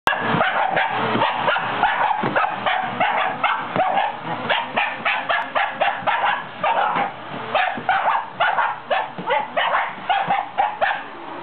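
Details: Shiba Inu dog fighting a vacuum cleaner, its enemy, barking in rapid sharp yaps repeated several times a second, nearly continuous over a steady motor hum.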